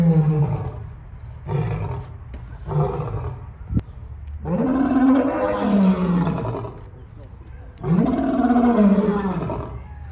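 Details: A male lion at the St. Louis Zoo gives a few short, low grunting moans, then two long, deep, swelling roars, possibly calling during mating season.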